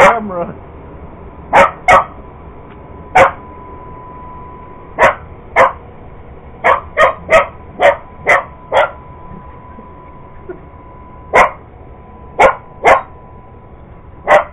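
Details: Purebred Cocker Spaniel barking at an iRobot Roomba robot vacuum it chases indoors; a fast run of sharp, evenly spaced barks, then a brief lull before more paired barks, with the vacuum's constant hum underneath.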